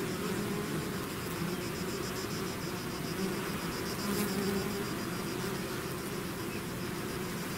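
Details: A bee swarm out of the hive fills the air with constant buzzing, a layered low drone with brief brighter whines from nearer bees, evenly loud from start to finish.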